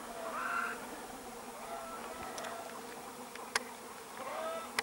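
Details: Continuous low humming drone of bees, dated 13 July 2015, with stacked overtones, faint chirpy whistles near the start and end, and a couple of sharp clicks late on.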